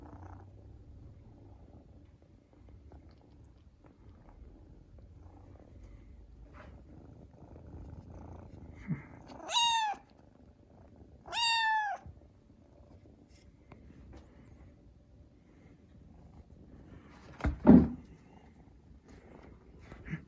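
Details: Kitten perched on a cat tower, wanting to get down and crying thinly for help: two high, clear, harmonic meows about two seconds apart, each near a second long, later a short low thud in a quiet room.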